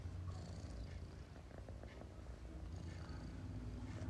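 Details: Persian cat sleeping comfortably indoors, snoring softly: a low, steady rumbling drone that pulses continuously, with faint higher rustles above it.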